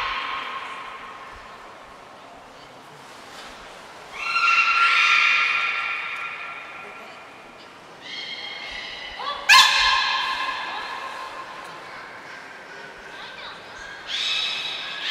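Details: During a 25 February 2024 training session at Port of Nagoya Public Aquarium, Japan, the beluga Niko produces several separate nasal, harmonic squeals, one rising sharply into a loud bright burst, with quiet gaps between calls.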